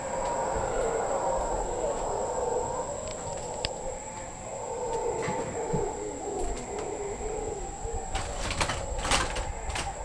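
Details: Howler monkeys heard from a patio at Casa Sonrisa in the Osa, Costa Rica: a deep, continuous roaring drone that swells and fades across ten seconds, over a steady high insect whine, with a few sharp clicks near the end.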